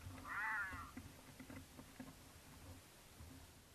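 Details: Mountain lions courting in Utah, passing a camera on their route; the female in heat caterwauls for the male, who occasionally answers. One short, wavering, rising-and-falling cry, followed by low rumbling background noise.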